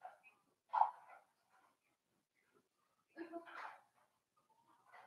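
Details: Four-week-old Cavalier King Charles Spaniel puppies from Daisy's litter, filmed in their indoor pen. Two bursts of whiny yelping with bright harmonics, about two and a half seconds apart, then a softer whine begins; quiet room between cries.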